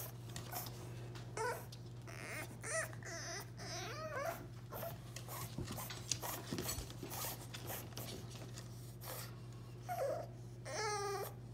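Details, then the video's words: French Bulldog puppy Remy, kept behind a baby gate away from the kitchen while food fries, lets out short, wavering whimpers in scattered bursts, with longer gaps between them, against a constant low hum and sharp household clicks. "French Bulldog Puppy Cries Like a Human Baby"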